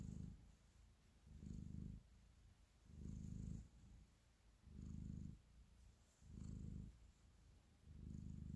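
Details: Affectionate house cat kneading as it purrs, a deep continuous rumble rising into louder bursts roughly every one and a half seconds, five strong swells in a row over quieter breathing-like stretches.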